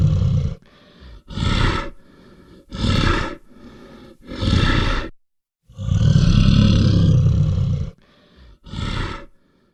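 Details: Brown bear giving a series of short, rough, low roaring bursts about every one and a half seconds, with one longer drawn-out roar near the end and quieter breathy sounds between bursts.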